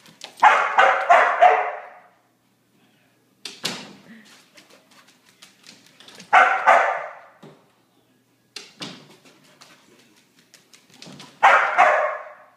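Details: Border Collie after three days of rain, giving bursts of rough, throaty barks and yelps, loud clusters about every five seconds, with sharp clicking and tapping noises between the bursts.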